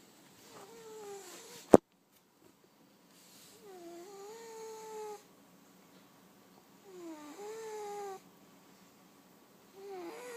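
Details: A fat cat asleep and snoring: whistled, nasal tones on each breath, each lasting about one and a half seconds and swelling slightly before ending, repeated roughly every three seconds, with one sharp click early on.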